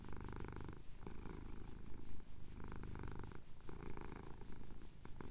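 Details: Chin scratch for a male house cat at sunrise in the Cotswold hills, recorded on a Tascam DR-07X; low throbbing purr pulsing with inhale and exhale, with faint rustling over the top.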